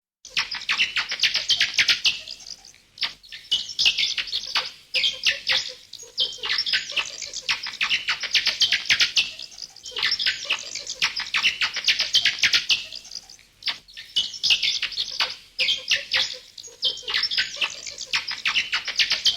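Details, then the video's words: A crowd of bats giving shrill, scratchy chirps in a nonstop rapid stream, the noise rising and falling in pulses every two to three seconds. "FUNNY BATS NATURAL SOUNDS"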